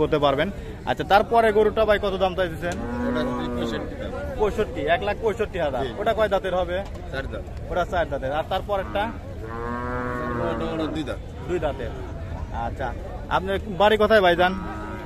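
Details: Cattle at the Ashulia cattle market in Bangladesh, held every Wednesday, with cows and buffalo brought from Manikganj, Sirajganj and other regions; several long, drawn-out moos rise and fall over steady crowd chatter and voices.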